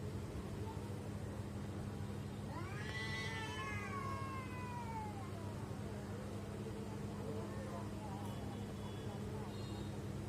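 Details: Weird sounds from pet cats: a long, drawn-out, wailing cry that rises then slowly falls and bends over about three seconds, followed by fainter trailing moans against a constant low hum.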